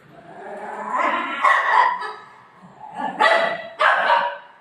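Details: Pet Golden Retriever Buzo, denied its ice cream by its owner, gives a drawn-out whining bark followed by two sharp barks close together, indoors.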